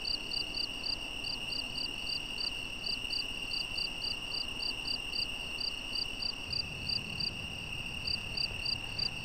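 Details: Nocturnal cricket chorus during footage of a European badger: fainter, evenly spaced high chirps pulsing steadily, a continuous thin tone beneath, and low rumbling noise toward the end.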